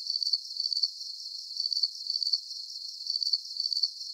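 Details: Crickets in a soothing sleep recording produce shrill, rapidly pulsed chirps in clusters several times a second, each cluster fading back into a constant high-pitched buzz.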